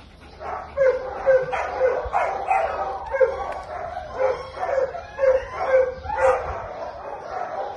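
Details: Finn, an American Pit Bull Terrier up for adoption, filmed 28 March 2022: a run of yelping barks roughly every half second, bright and ringing, with a faint hum underneath and a person praising the dog as a good boy.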